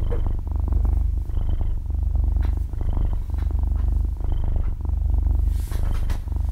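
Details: Half-year-old kitten purring while asleep, recorded very close indoors: a loud, steady low rumble rising and falling with each breath, about forty cycles a minute, no music or talking.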